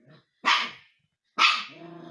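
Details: Indoor husky puppy Umka, teasing the family cats, lets out two loud, harsh barks about a second apart. The second bark trails into a tonal, whining growl.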